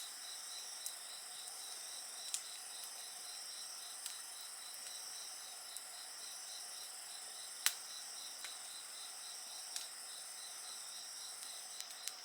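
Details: Insect voices form an unbroken high-pitched chorus with a fast regular pulse, accompanied by a crackling bonfire whose sharp snaps come at irregular intervals of a second or two.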